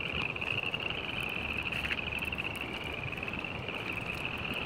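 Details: A dense chorus of spring peepers on 15 February 2018, countless high piping peeps blending into one shrill, steady ring.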